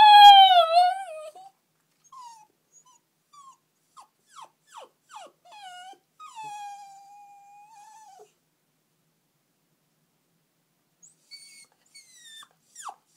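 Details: Puppy sad after its owners left for the shops: a loud falling howl-like whine, then a series of short high whimpers and yelps, a long steady whine, a pause, then more faint whimpers.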